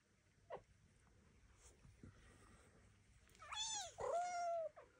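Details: Devon Rex kittens, newly out of the birthing box, learning to walk indoors with mother Elma and an aunt nearby; a quiet room, then a cluster of rising-falling meows, the last one long and drawn out.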